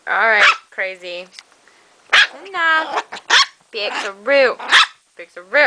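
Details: Female pet Chihuahua called crazy by her owners gives a rapid run of high, strained, tonal yaps and whining barks in clusters, each about half a second long, with brief pauses between bursts and human voices mixed in.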